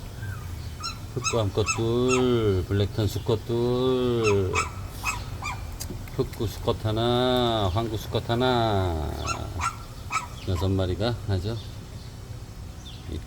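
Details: Puppies of the dogs Baekseol and Heukgom, a litter that includes a black-and-tan pup, kept with their mother: drawn-out, arching whines rising and falling in repeated bursts, with sharp short yips between them and a person talking nearby.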